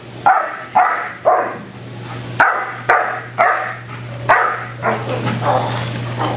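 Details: Black German Shepherd Cupid von Prufenpuden, an IPO 3 home-raised working-line protection dog, gives loud rhythmic barks roughly every half second over a steady low hum, the later barks softer and blurred.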